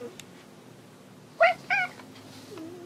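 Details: Domestic cat indoors, searching for another cat, gives two short, bright meows in quick succession about a third of a second apart; quiet room hum in the background.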